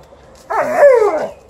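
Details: Alaskan Malamute reacting to a broom it dislikes: a single vocal, woo-like grumble lasting under a second, sliding up then gliding down in pitch, with rich harmonics.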